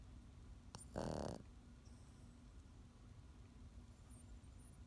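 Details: Pekingese snoring, a single short raspy snort near the start, then low steady background hum in a quiet room.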